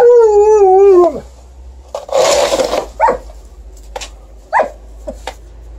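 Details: Alaskan Malamute bitch vocally opposing snow shovelling at night in December, phone-recorded: a sustained wavering howl slides downward, then a scrape of the shovel and several short rising yelps.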